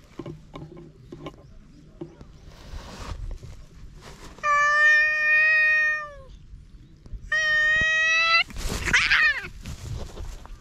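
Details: Stray cats fighting on a cat island in Japan, GoPro HERO8: two long, drawn-out wavering yowls with slightly falling pitch, followed by a harsh, noisy spitting burst; light scuffling beforehand.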